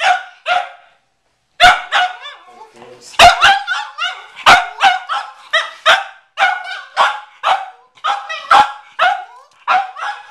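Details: Pet Cavalier King Charles Spaniel McCartney barking at a watermelon in the garage, a couple of barks, a pause with a brief voice, then a dense string of sharp, tonal barks.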